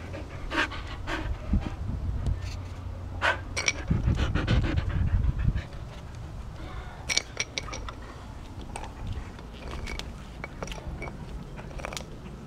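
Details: Excited pet dog named Sky panting outdoors with her bone on 30 September 2014; rapid rhythmic breathy pants in bursts, with scattered clicks and handling noises and a heavier low rumbling stretch partway through.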